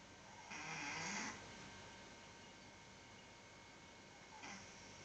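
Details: Domestic cat with a cold snoring indoors: one long, breathy, rasping snore lasting under a second, then a shorter rasp about three seconds later, over a steady low hum with faint tonal background lines.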